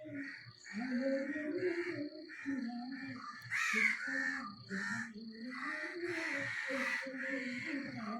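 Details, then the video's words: Left behind, nine-month-old puppy Chikku keeps up a drawn-out, moaning whine that wavers and rises in pitch over several seconds. Crows caw repeatedly nearby, and a thin, steady high tone continues in the background. "അച്ഛൻ എന്നെ കൂട്ടാതെ പോയീ ..Crying in different ways"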